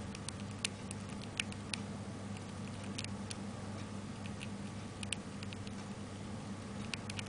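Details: Pet hamster Taro, recorded 29 May 2005, eating pellets: irregular sharp crunching clicks, some in quick pairs, scattered across seven seconds over a steady low indoor hum.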